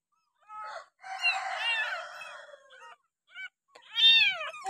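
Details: Abandoned village kitten, found beside a house and bottle-fed milk for six days, gives thin high mewing calls with bending tones, a longer wavering cry, short chirps, then a louder rising-falling mew.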